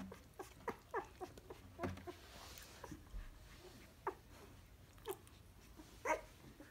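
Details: Basset Hound puppies with their mother Berry in Montréal, indoors in a small room: short high whimpers and squeaks scattered irregularly, several in the first two seconds and more near four, five and six seconds.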